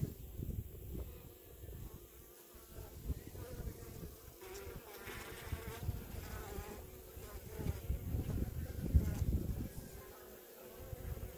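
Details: Honey bees in a hive after smoking, filling up on honey from the cells; a low, steady droning hum that swells and fades, loudest near the end, with faint rustling and handling noises.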